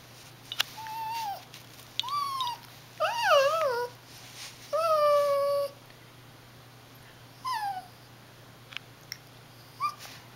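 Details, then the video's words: Small dog indoors, crying after a baby took its treat: short tonal whines that dip and fall, about six in ten seconds, separated by quiet pauses, with the loudest and longest in the middle. "Dog crying over stolen treat"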